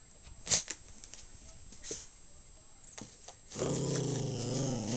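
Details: Indoor pet dog, breed unknown but perhaps Maltese or Shih Tzu, starts a sustained deep rumbling growl in the final second and a half after a stretch of quiet clicks and tapping.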